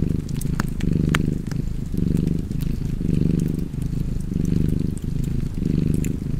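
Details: Cat purring beside a fireplace: a low, rumbling purr swelling and fading in steady breaths about once a second, with sharp crackles and pops from the fire scattered throughout.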